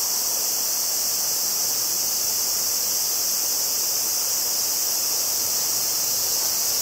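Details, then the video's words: A chorus of Tanna japonensis, the evening cicada or higurashi, recorded in Kobe, Japan, on 14 August 2011 with a Zoom field recorder's front microphones: an unbroken, loud shimmering hiss of high pitch lasts throughout, with no other clear sounds. "Cicada: Sound comparison between Zoom H2n and H2"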